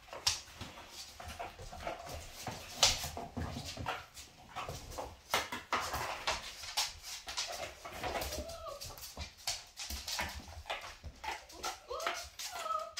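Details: Indoors, Kyla, a cream Labrador on her first litter, teaches her five-week-old puppies to play nicely as they wrestle. Continuous rustling and thumping, then brief whiny squeaks rising and falling, repeated near the end.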